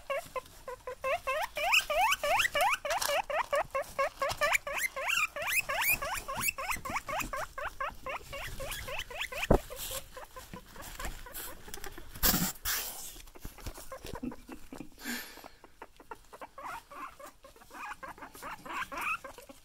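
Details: Pet guinea pigs wheeking excitedly on seeing their owner; rapid runs of high squeaky rising whistles repeated many times a second for several seconds, fading later into pattering and rustling.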